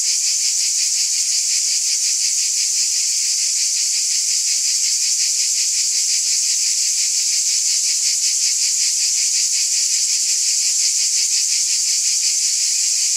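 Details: Summer-night cicada chorus forming a continuous shrill buzz, pulsing rapidly at close to three throbs a second, even and unvarying from start to finish with no other sounds.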